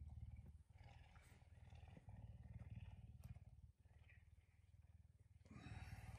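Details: Pet puma indoors at daybreak, rousing its owner at about 5 a.m.; long, unbroken deep purr made of fast regular throbs, with light rustles and handling noises over it.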